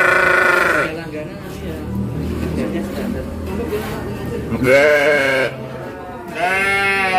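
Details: Crossbred sheep penned on a farm in Bangorejo, Banyuwangi, Indonesia, during a farmer interview; three harsh, quavering bleats, at the start, near five seconds and at the end, with men talking in between.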